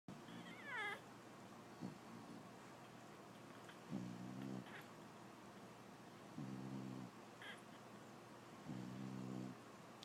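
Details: A female English Bulldog snores while her pup nurses, giving low, buzzy, droning breaths repeated every two to three seconds.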